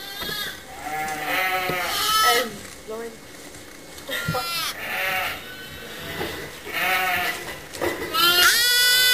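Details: Several motherless lambs kept together in a pet lamb pen, calling over and over with overlapping wavering bleats of varied pitch, some short and some drawn out, alongside background chatter.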